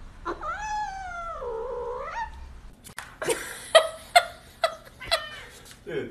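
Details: Kitten from a cute baby cat compilation gives a long wavering meow that dips then rises at the end. A run of short sharp meows and clicks follows, spaced about half a second apart, with people talking nearby.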